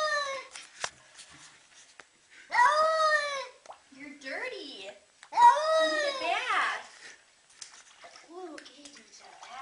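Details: Cat objecting to a bath in a small room: two long, loud, wavering yowls, interrupted by a person talking in between and after.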